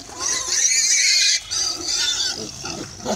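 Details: Pigs kept on a bamboo village farm squealing: loud, harsh, high-pitched screams in two long bursts, with a brief pause between them.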